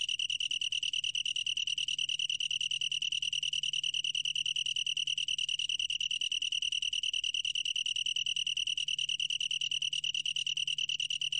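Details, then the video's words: Unbroken shrill trill of a long-tailed tree cricket, recorded for the National Institute of Biological Resources in 2020: fast, even pulses merge into one high, bell-like ringing tone that never changes pitch. There is faint low hum beneath. "긴꼬리, 여러번 듣기, 곤충소리"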